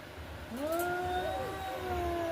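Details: A single long, smooth yowl from cats squaring off in a fight, rising then holding a steady tone before sagging slightly, over low rumbling background noise.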